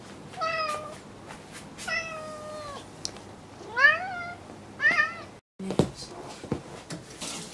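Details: Indoor cats at home around new furniture; four clear meows, the first two long and level, the next two rising then bending, followed after a brief gap by knocks and scraping household sounds.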